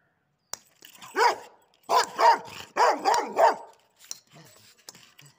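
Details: A Rottweiler barks about six times on seeing a ball, loud and throaty, several coming as rapid back-to-back pairs. Faint, softer sounds that may be a person's voice follow at the end.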